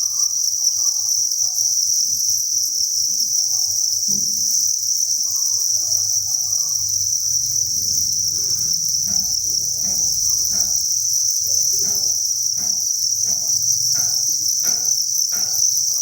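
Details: Thousands of crickets chirping inside a cricket breeding farm: a dense, unbroken high shrill chorus holds steady throughout, while soft clicks and taps grow more frequent from about seven seconds on, with a low hum underneath.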